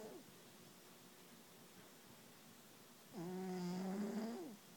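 A Bengal cat snores with one drawn-out, reedy, humming breath that rises slightly in pitch.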